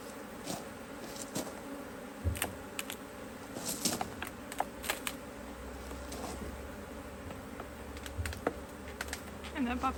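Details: Honey bees buzzing around an opened Hive IQ beehive in Australia in mid-autumn 2023 while a box is added, cloudy day with rain forecast; steady hum with passing bees and clicks and knocks of handling, brief voices nearby.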